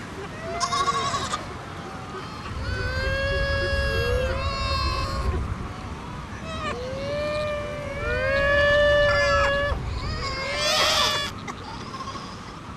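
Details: Fur seal mother and pup in an Antarctic colony, short-sighted on land, find each other by calls learned in their first week together: loud, drawn-out bleating wails with strong harmonics, several overlapping and sliding in pitch, amid colony noise.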